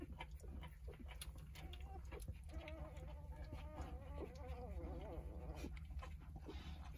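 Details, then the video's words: Newborn Jindo puppies, five days old, one of a litter of nine, nursing from their mother; thin wavering squeaks and whines rise and fall over several seconds amid soft rustling and a low steady hum. "진돗개 9마리 출산 생후 5일차🧡 어미의 모성애👍애기새끼들의 젖먹는 모습과 평온한모습"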